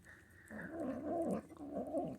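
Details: Food-guarding Manx kitten, female, grumbling as she is fed: a rough, fluctuating growl with two louder swells, following a moment of quiet indoor background.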